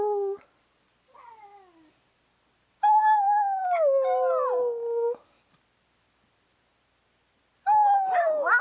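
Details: Maggie the dog, fond of cake, vocalises to her owner: a short falling note, a faint whine, then a long howl that bends and drops in pitch, and another rising howl at the end.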